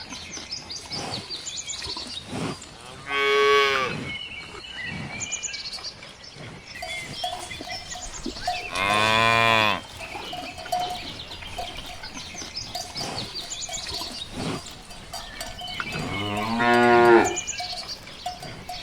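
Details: A cow grazing in a sunlit green countryside field gives three long, deep, droning moos several seconds apart, each swelling then fading, with faint cowbell clanks and soft outdoor noise between.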